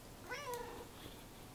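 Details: A cat gives one short meow that rises then drops, its tone clear over faint background hiss.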